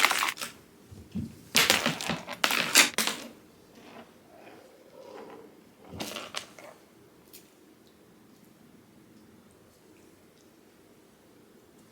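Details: Sharp crunching and clattering bursts in a small indoor room during the first few seconds, followed by softer knocks and near silence.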